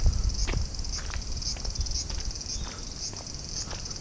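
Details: Summer chorus of bear cicadas in hot weather, Japan; a shrill, sizzling high drone pulses roughly twice a second, over low rumbling background noise and occasional soft ticks.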